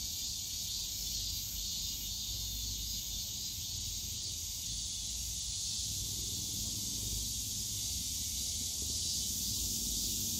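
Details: Summer cicada chorus in the bamboo forest at Yongsan Family Park: a continuous shrill buzzing wall of sound held at one high pitch, over soft low-frequency background noise from the park.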